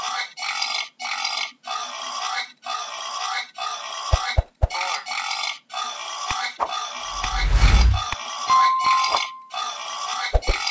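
A wild boar gives a steady run of rough, nasal grunting squeals, roughly one per second.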